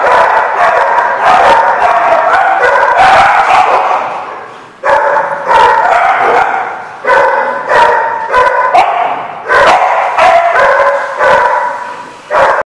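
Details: Dogs at The Barking Lot on 3/6/15, barking and yipping loudly in dense, overlapping bursts of sharp, harmonic barks, with short lulls near four, seven and nine seconds before the chorus resumes.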